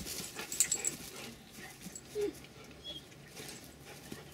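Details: Rottweilers Denis and Cayenne meeting for the first time. Quick breathy pants open the recording, then a brief thin whine, scattered huffs and light rustling follow.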